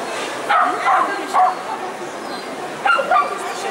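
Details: Lyalya the poodle during CACAG qualifying competitions at "Zooshow in Gavan", ring A3, 29.03.2015; two or three short harmonic barks near the start, then a pair near the end, against steady indoor crowd chatter.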